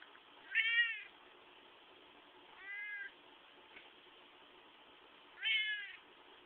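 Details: Pet cat meowing while being squeezed indoors: three short, bright, arched meows, the first and last loudest, spaced about two to three seconds apart over faint background hiss.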